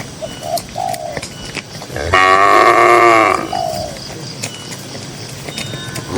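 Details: Among dozens of cows grazing in a grassy pasture, a single bright, nasal moo lasting over a second rises above quiet background with faint short chirps before and after.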